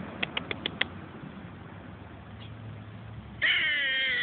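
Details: Squirrel barking at a person on the way to work, making unusual noises: five quick sharp clicks open, then after a pause a loud, drawn-out, harmonic whining cry that sinks slightly in pitch.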